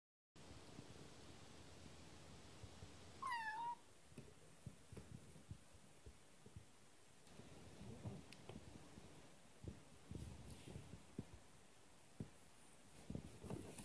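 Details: A kitten newly arrived at its home gives one brief, high, falling meow amid soft thumps and rustling handling noise.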